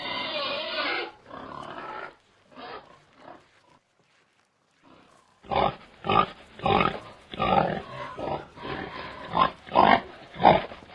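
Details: A domestic pig gives a run of short, rough grunts, bursting out loudly about every half second.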